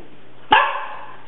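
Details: A single sharp, harsh bark from a pug that is snorting, grunting and barking at something. The bark fades quickly into a quiet room hum.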